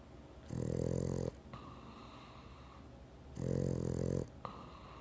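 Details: A Boston Terrier asleep and snoring, two loud rasping snores close together, each about a second long, with softer breathy exhales between them in a quiet room.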